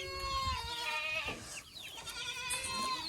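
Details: Boer goat on a village farm in Nepal where local and Boer goats are crossbred; quavering, harmonic bleats run almost without pause through the clip, with a short dip in the middle.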